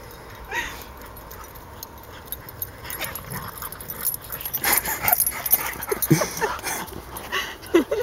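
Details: Dogs Elsi, Lola and Ratchet at play in a huge fenced dog park field in Baumholder, Germany; quiet at first, then a burst of sharp, high yips and scuffling noises in the second half, irregular and overlapping.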